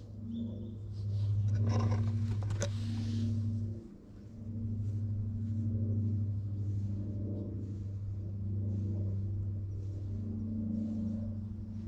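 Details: Ginger stray cat relaxing in the parking lot of a cat shrine in Japan, being stroked, filmed on a GoPro HERO8: steady low rumbling purr throughout, briefly dipping near four seconds, with faint rustling and a light metallic clink early on.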